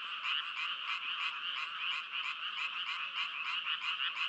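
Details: Frogs producing fast, rhythmic, rasping croaks, roughly three to four pulses per second, forming a bright, unbroken trill, with no other sounds.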